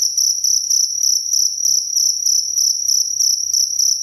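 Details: Clear cricket chirps recorded as a tutor sound for songbirds: sharp high pulses repeating roughly every third of a second, strong steady ringing pitch, no other animals audible.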